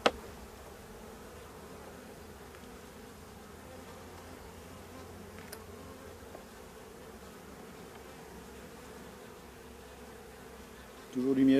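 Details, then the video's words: Drone-laying honey bee colony with laying workers, hive frames full of honey being inspected by a beekeeper. Faint continuous humming drone sits low and constant, with light handling noises and a louder rustle at the end. "Ruche bourdonneuse"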